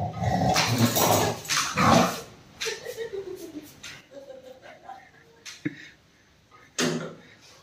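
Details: Angry Rottweiler turning aggressive toward its owner: a few harsh, loud bark-like bursts in the first two seconds, followed by a man talking in Hindi and scattered quieter noises.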